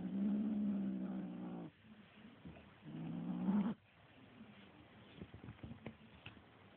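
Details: A little kitten growling while attacking a feather toy: two low, rough sustained growls of about one and a half seconds each, separated by a pause, followed by soft scuffling and tapping sounds.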